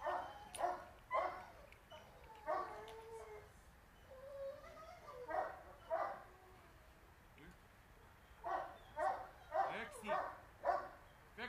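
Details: A female Boxer aged 2.5 years, in obedience and socialisation training. Loud, punchy barks come in uneven groups, broken by thin whining tones in the middle, with a steady hiss underneath.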